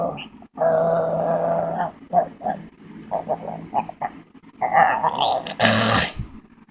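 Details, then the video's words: Dog making crazy noises while pulling faces: a long groaning growl, then choppy grumbles mixed with human speech, ending in a louder rough burst. "This dog makes crazy noises"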